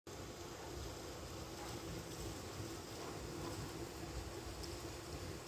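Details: Steady broadband rushing noise like wind or a distant engine fills the whole stretch, with no other distinct sounds.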